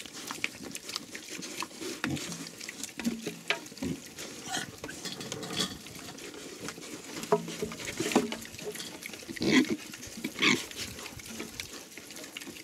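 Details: Ten young Hungarian Mangalica pigs feeding on chicken offal, one running off with a chicken head; scattered soft grunts, with a louder pair near the end, mixed with chewing, trampling and a man speaking.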